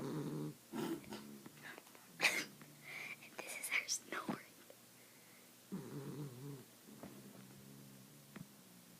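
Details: A 1-year-old female Miniature Dachshund lies on her back on a couch in deep sleep, snoring in low, rattling rasps, with a person's quiet voice in between.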